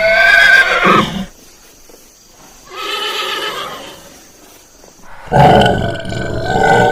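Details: Horse calling in three separate bursts: a loud harsh whinny at the start, a softer rough neigh in the middle after a quiet gap, then a final loud outburst trailing off. Nothing else is clearly heard.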